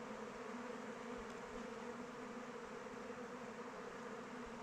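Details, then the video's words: Kept honey bees flying around their hive in open weather: a dense, steady hum with two low droning tones, one an octave above the other, holding evenly throughout without breaks. "Bees flying around hive"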